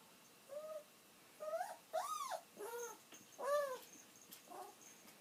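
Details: An old dog longing for its owner to come home cries in a string of bent, nasal whines, each rising then falling, about one a second, with faint background hiss.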